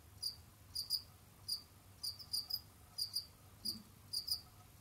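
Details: Captive Jamaican field crickets, kept as pets, roaming, digging and hunting: sharp high chirps of two or three quick pulses, repeated in irregular bursts about every half second to second, over a faint low hum.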